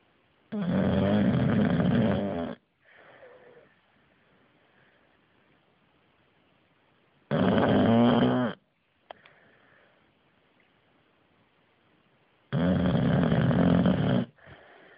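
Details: Snoring English Bulldog named Bruno, getting louder over time; three long, harsh, rattling snores of one to two seconds each, spaced roughly five seconds apart, with soft breaths between them.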